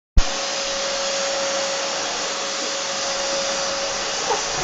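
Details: A vacuum cleaner roars steadily and loudly from start to end, a broad even hiss with a faint thin hum running through it and a small knock near the end; no animal voice is heard.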